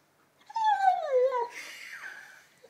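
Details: Lenny, an 11-month-old Labrador Retriever indoors with a new ball, gives one long whine that starts high and slides steadily downward over about a second, with clear harmonics. A brief noisy rustle follows.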